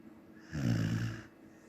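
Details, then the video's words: A Samoyed asleep, letting out a single deep, rattling snore lasting about three-quarters of a second, rough and throaty, in an otherwise quiet indoor space. "Samoyed snoring"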